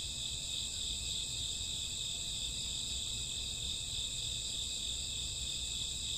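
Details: Crickets chirping on a summer or autumn night in a dense, unbroken chorus of high shimmering trills that never pause, layered as several steady bands, with a low soft rumble beneath.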